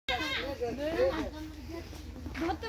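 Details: Goat bleating: a few wavering, nasal harmonic bleats that rise and fall in pitch over under three seconds, with a brief low background murmur.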